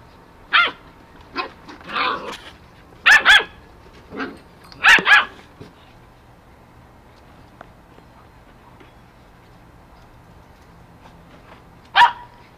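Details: Eight-week-old Goldendoodle puppies playing outside give sharp, high yapping barks in clustered bursts, several doubled, over the first six seconds, then fall quiet before one last yip near the end; a faint steady hum runs underneath.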